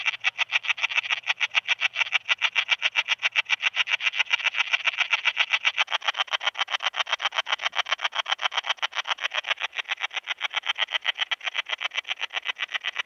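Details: Tessellana tessellata, Common Slender Bush-cricket, recorded near Freiburg, Germany, 9 September 2021; a long, even series of rapid scratchy pulses, roughly four each second, continuing without pause, with a faint low hum early on.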